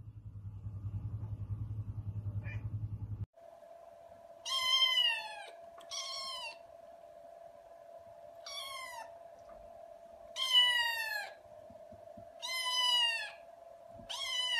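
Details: Domestic cat meowing indoors: a low rumbling hum for the first three seconds, then six loud, harmonic-rich meows in bursts, each sliding downward, over a steady electrical tone.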